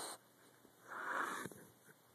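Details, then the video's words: Leonidas, a sleeping Boxer puppy, lets out a single breathy, wheezing snore lasting about half a second in a quiet indoor room, preceded by a short burst of noise. "Snoring boxer puppy"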